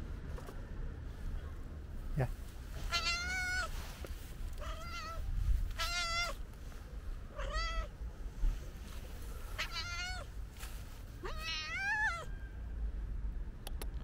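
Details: Stray calico cat meowing repeatedly, about six drawn-out tonal meows roughly every one to two seconds, some rising then falling, over low background rumble and occasional clicks.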